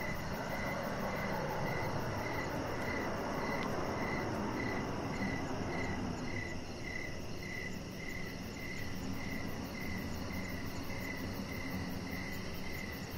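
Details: Evening crickets near a deck give a regular series of bright, quick chirps, about two a second. A heavy low roar fills the first half, then eases to a quieter background hiss.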